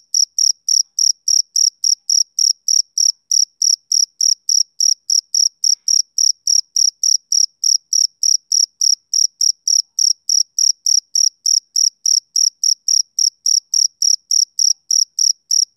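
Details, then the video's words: Male cricket chirping on a summer evening: a steady run of short, high-pitched, ringing chirps, about three to four each second, evenly spaced for the whole stretch, with no other sounds. "Cricket Chirping Sound Effect"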